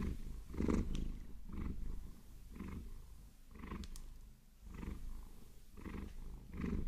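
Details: Maine Coon named Vasilisa purring while being massaged with long nails, a low rumbling purr swelling and fading in roughly one-second breath cycles, with a few brief scratchy nail sounds in the middle.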